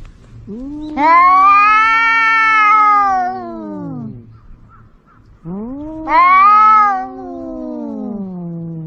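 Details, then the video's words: Cat yowling twice in drawn-out, wailing meows, each opening with a low rising moan, climbing into a loud strained cry and sliding back down; the first lasts about three seconds, the second is shorter, with a quiet pause between. "Suara Kucing meong kucing jantan galak anak kucing panggil induk aneka suara kucing meong meong"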